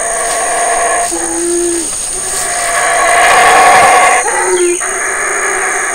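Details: Wild black howler monkey, a large male in Belize's Community Baboon Sanctuary near Burrell Boom, howling as his family and two young sons eat figs: deep throaty roars that swell, break off and resume, with a constant shrill hum behind.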